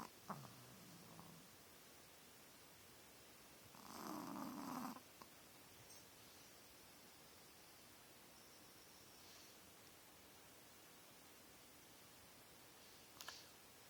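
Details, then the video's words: Kaylee, a 13-year-old Shih Tzu missing the teeth that hold her tongue in, snores loudly while sleeping at night. A short rasping snore opens the recording and a longer, harsher one follows about four seconds in. The room is otherwise quiet. "My ol shitzu snoring."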